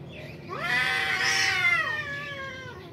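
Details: One cat of a fighting pair at a construction building lets out a single loud, strained yowl that swells upward, holds, then slides down and fades, a low hum beneath.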